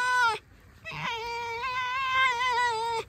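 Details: Pet red fox out for a walk, making a brief high squeal that drops off, then after a pause a long, steady, nasal whine held for about two seconds with a slight wavering quiver before it stops abruptly.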